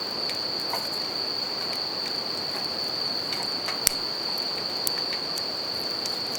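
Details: Bell crickets beside a campfire and river in natural surroundings, a steady high ringing trill held without a break, with sharp crackles and pops from the burning fire and a soft rushing of river water beneath.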